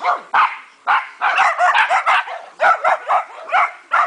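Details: Several dogs playing and having fun in a backyard dog park on 29 March 2008, giving quick sharp barks and yips, about a dozen in four seconds, some overlapping in bursts.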